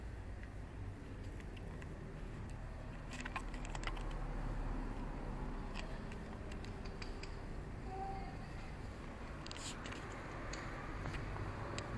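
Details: Continuous broadband background hum with rapid irregular tapping clicks, like typing, and a brief faint tone.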